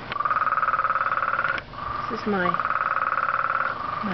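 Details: Very loud frog giving long, fast-pulsed trills at a steady mid pitch, each lasting over a second with a short break between; a brief human voice cuts in midway.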